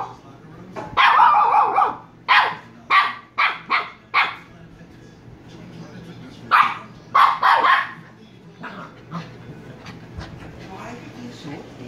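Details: Shiba Inu puppies Kyno and Niro give short, sharp, high barks in a quick run of about six bursts, a pause, then three more near the seventh second. Vietnamese speech is heard quietly in the background.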